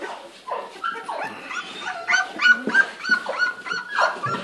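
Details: English Springer Spaniel puppies, 30 days old, giving a run of high, tonal whines and short yelps several times a second, each whine rising then falling, with overlapping cries from more than one pup.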